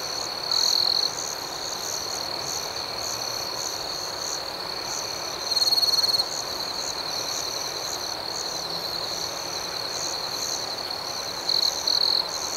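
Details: Crickets in a night-time chorus, a constant high, rapid pulsing. Louder trills of about half a second break through at intervals of roughly five seconds, and a pair comes at the end.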